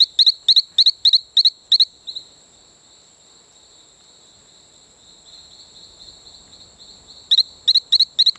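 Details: Calling male Talamanca rocket frog on Isla Colon near Playa Bluff, Bocas del Toro, Panama: quick series of six high, chirping pulsed notes about three per second, a pause filled by a steady insect-like tone, then five more notes.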